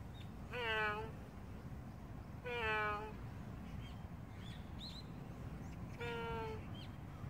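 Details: A stray cat utters three loud, drawn-out meows with rich harmonics, the last after a longer pause, while faint bird chirps sound in the background.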